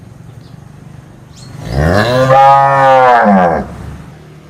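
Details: One cow moo rising in pitch then falling, about two seconds long, loud and harmonic, over soft background rumble.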